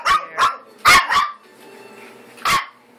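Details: Several high-pitched puppy barks from American Eskimo Dog pups eight weeks old, a quick cluster of three or four yaps followed by a pause and one more sharp yip.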